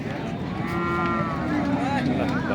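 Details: At the Nandail Chourasta cattle market, among heifers and bull calves offered for sale on 10/04/2025, one animal gives a drawn-out, low, level moo, heard over a crowd of men talking and general market noise.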